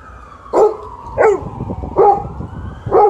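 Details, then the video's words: Alaskan Malamute and Golden Retriever vocalising together: four short rising-falling yips or woo sounds about every two-thirds of a second over a low background rumble. "Dogs are talking"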